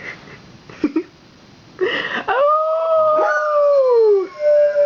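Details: Pet dogs reacting to fire truck sirens during a town's Santa Fire Truck Parade; soft shuffling and a brief noisy burst lead into a long, steady, gently falling howl, with a second voice faintly underneath.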